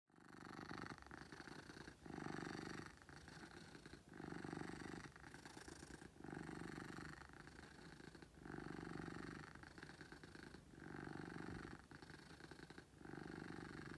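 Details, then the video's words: Pet cat named Beetle purring loudly: a continuous low rumbling purr swelling and easing in steady cycles about every one and a half seconds, with fine pulsed texture throughout and no other sounds. "Beetle Purrs"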